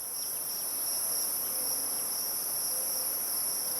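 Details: A cicada sings from the cottonwoods above a tall dogbane patch on the Clark Fork River bank near Missoula, Montana, in an unbroken, shrill high whine, steady in pitch and loudness, with faint soft chirps underneath.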